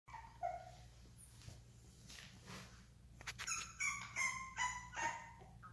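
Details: Bulldog giving high, tonal whining squeals, a few soft ones at first, then a quick run of short, sharp yelps with ringing overtones in the second half, over a steady low indoor hum.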